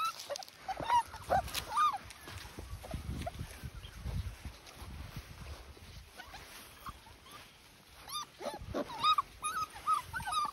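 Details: Dachshund puppies recorded 14 March 2021: scattered short high squeaks and whines, sparse at first then clustering near the end, over a background of soft rustling and shuffling.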